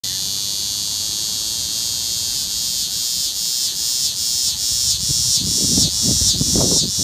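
A cicada sings a loud, steady, high buzzing drone that pulses faintly in slow waves.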